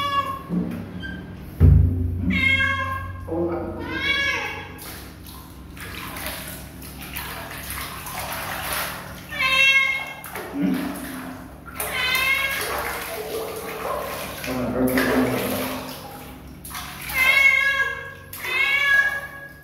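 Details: Kitten, possibly a stray, giving a series of harmonic meows, some short and some drawn out, spaced irregularly, with a human voice and a low background hum underneath.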